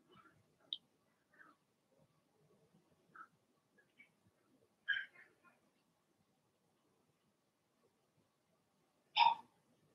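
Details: Blenheim Cavalier King Charles Spaniel puppies from Remy's first litter of six, in an indoor puppy pen at home; scattered short high yips and whimpers, then one sharp louder bark near the end, with quiet gaps between.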